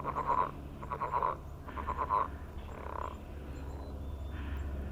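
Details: Morning frog mating calls on a millrace: short pulsed bursts repeated about once a second, four in a row, then fading, over a low rumbling hum.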